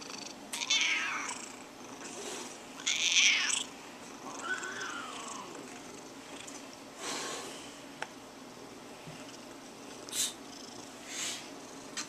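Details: A female pet cat named Tiger complaining as her back is scratched, giving a run of harsh, strained meows and growly cries, several loud bursts a few seconds apart with quieter grumbles between.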